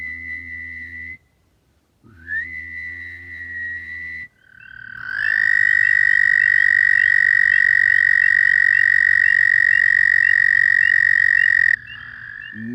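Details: A Fowler's toad, a common toad of the Alabama area, gives a high, nasal, buzzing call, like a drawn-out 'waaah' or 'were'.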